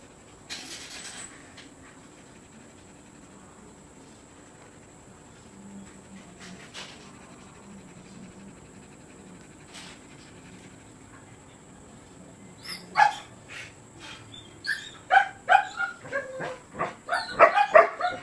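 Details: Siberian Husky at the Rocketkaito kennel during a stud service: a mostly quiet stretch with faint scattered sounds, then from about twelve seconds a run of loud, quick, breathy panting bursts mixed with short whiny tones, growing denser toward the end.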